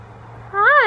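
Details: Butters, a pet cat waking happily from a nap on the floor, gives one short meow that rises and falls, about a third of a second long, right after a person says he woke up.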